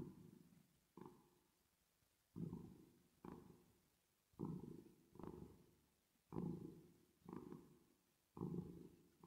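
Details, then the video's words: Resting, sleeping cat purring under a reverb effect, producing a steady run of low rumbling surges about once per second, each starting abruptly, then tapering, with a brief pause near the start. "Cat Purring Sound With Reverb Effect"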